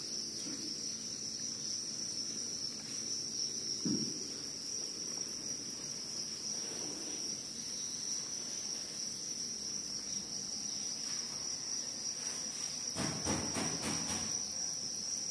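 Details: Crickets keep up a constant piercing high trill, while a brief thump near four seconds and a burst of clicks and rustling around thirteen seconds break through.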